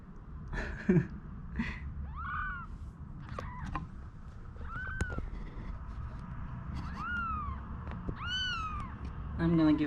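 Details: Newborn kittens, one day old, kept with their mother after being taken in from a cage before cold stormy weather, cry in a series of arched, high-pitched mews spaced a second or two apart, with human speech, thumps and rustling.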